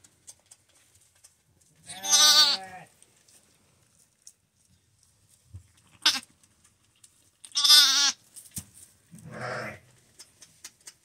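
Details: Newborn lamb, a male still steaming just after birth to a first-time ewe, giving his first bleats: two strong quavering high-pitched cries with rich stacked harmonics, plus a softer third, between rustles and a person's encouraging words.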